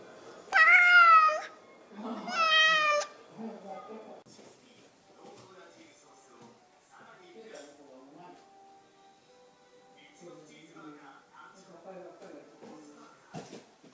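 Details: Pet cat meowing, said to sound like "mom": two loud drawn-out meows in the first three seconds, the first rising then falling, followed by quieter household sounds and faint Japanese speech.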